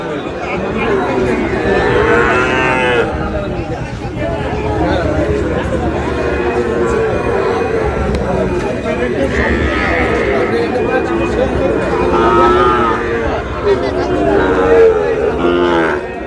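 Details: At a livestock market on 19 August, Sahiwal bull calf bought by a Khulna farmer; repeated drawn-out lowing calls with bending pitch appear throughout, partly buried under dense human talk and market crowd noise.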